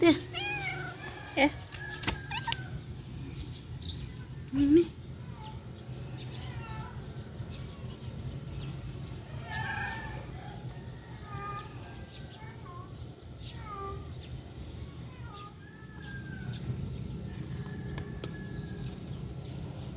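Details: Stray cats being fed outdoors, several short, fairly faint meows rising and falling at intervals through the clip, over a steady low rumble, with a few sharp clicks and knocks near the start.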